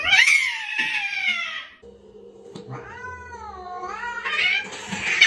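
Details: Domestic cat indoors giving a long, loud meow that slides downward, then a wavering, drawn-out meow that rises again at the end, over a steady low background hum.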